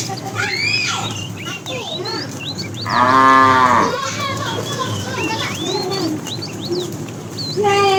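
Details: Tame herd cow, fat, calling the female while the herd is driven in the afternoon: a loud, steady moo lasting under a second, then another beginning at the end, over constant high bird twitters and a low background hum.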